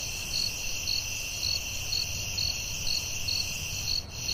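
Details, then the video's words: Night-time forest crickets giving steady high chirping pulses about twice a second against a constant piercing background trill and low rumble. "Soothing Cricket🦗 Sounds at Night"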